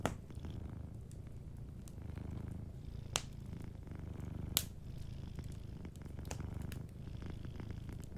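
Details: Sleeping cat purring softly beside a fireplace: a steady low rumbling purr with rhythmic pulses throughout, plus scattered sharp crackles and pops from the fire.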